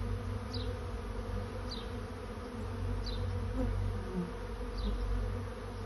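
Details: A honey bee swarm seeking a new home fills the air with a loud, even buzzing drone. Four short, high, falling chirps from a bird break through at intervals.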